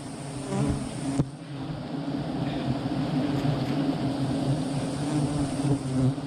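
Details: A dense, steady drone of many honey bees at a very large hive during a honey harvest, buzzing together in a low, throbbing hum.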